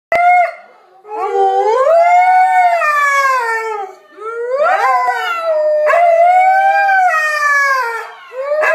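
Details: Several pet dogs howling together in a group chorus, long tonal wavering howls that rise and fall, overlapping voices with rich harmonics, a brief break about every few seconds.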